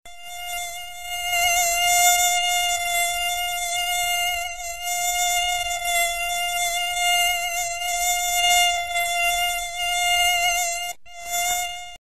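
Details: Common house mosquito (Culex pipiens), wing whine.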